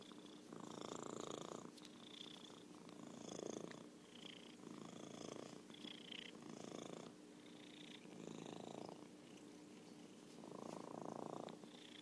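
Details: Merlin, an orange tabby cat and a champion purrer, purring indoors: soft, steady rumbling that swells and fades in long breathing cycles about every two seconds, with faint hiss between the louder stretches.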